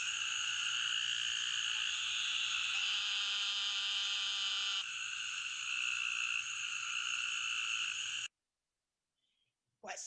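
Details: Arkansas eastern narrow-mouthed toad calling with a steady, high, nasal buzz held for about eight seconds, a short layered tonal passage partway through, then sudden silence before a brief sound at the end.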